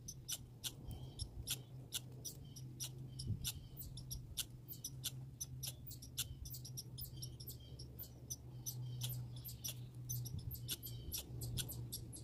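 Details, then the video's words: Grey and red squirrels: sharp, high, clicking chirps that come in uneven bursts throughout, over a steady low hum. "Grey & Red Squirrel Sounds"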